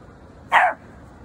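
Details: Single short, sharp bark from a seven-month-old male Pomeranian, one clipped yap lasting about a quarter second against a quiet indoor background.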